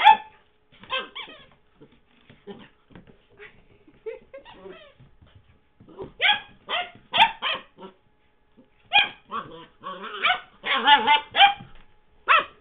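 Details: Young Henry in 2009, playing with his squeaky toy Mr. Squeaky: rapid bursts of excited high yaps and gruff little barks, a brief pause, then a dense flurry of yapping mixed with low grunts.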